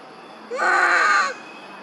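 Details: One of the monkey mothers Duchess and Queen calling for lost baby Quinton, a single strong, tonal wailing cry of nearly a second that rises at onset and flattens out, with only faint background hiss.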